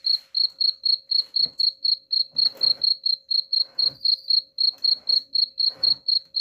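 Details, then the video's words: Rat-repelling cricket chirps: a continuous, regular series of shrill pulses at about four per second, with several brief scratchy bursts of noise mixed in underneath. "suara jangkrik pengusir tikus ampuh"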